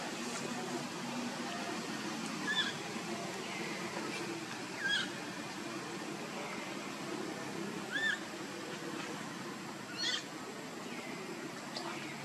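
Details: Young monkey Luno cries out for his father Tum to come pick him up. Thin, upward-curving squeaks repeat roughly every two to three seconds over a constant low hum and faint rustling.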